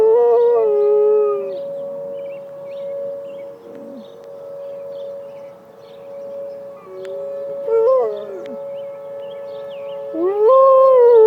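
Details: Penny, a Malamute Great Dane, howls in answer to an emergency siren test. Her long, wavering howls rise and fall in three bouts against the steady drone of the siren, with birds chirping in the background.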